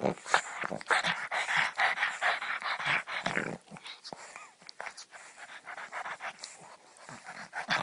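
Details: Pugs from a funny compilation: a dense run of snorting, huffing bursts and grumbling vocal noises through the first three and a half seconds, then softer, scattered snuffles and pants, with a faint hint of human voices.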